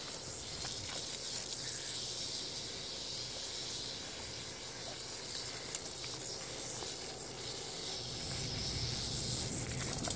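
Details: Rattlesnake, one of a pair found in the Everglades and handled by a person, recorded on a phone: a steady, hissing high buzz holds unbroken for about ten seconds over faint low rumble.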